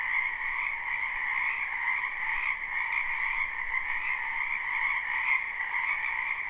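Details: Many frogs croaking in a spring wetland, recorded live with no looping: a loud, steady chorus of rapid pulsed trills blending into a continuous shimmering wall of sound.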